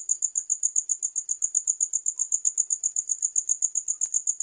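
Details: High, piercing cricket chirps pulse quickly and evenly, with a few faint clicks in an otherwise quiet background.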